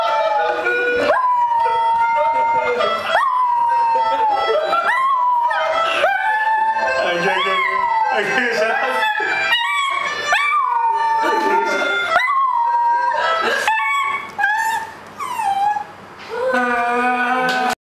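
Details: Domestic dog howling to harmonica music. Repeated drawn-out howls bend around a steady pitch and come every couple of seconds, mixed with the harmonica's chords. Near the end the playing briefly drops away.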